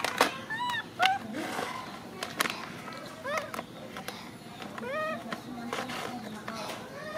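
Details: Crying macaque clutching a favourite food package, giving quick, bent, squealing whimpers in close clusters, some tonal and wavering, with soft clatter and background hum throughout.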